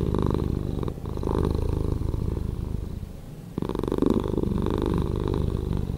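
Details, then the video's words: Purring house cat, slowed in editing; low throaty vibration with rapid pulses, loud at first, dipping quieter for a stretch, then returning strong. "Cat Purring"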